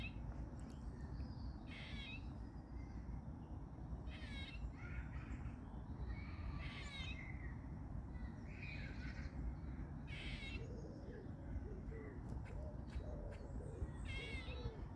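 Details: Squirrels in a local park, possibly courting or arguing, give harsh, buzzy, donkey-like squeals in short bursts about every two seconds over a low rumble.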